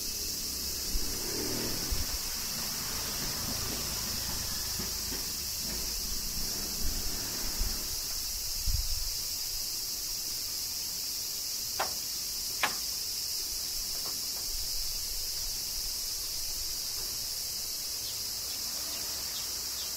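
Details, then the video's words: Cicadas in the summer rain of Kyoto, Japan, forming a level high hiss throughout, with low rumbles and soft thumps in the first half and scattered sharp drip-like clicks later. "Cicadas Summer Rain - Zen Sounds of Kyoto, Japan"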